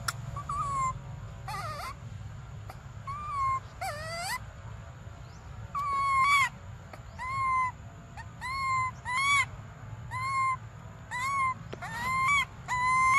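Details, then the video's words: Desperate cries from baby monkey Briar wanting milk: rising-and-falling whimpering wails, sparse at first, then repeated roughly every second through the second half, each ending in a dip, with a low hum underneath. "Desperate Baby Briar Cries For Milk"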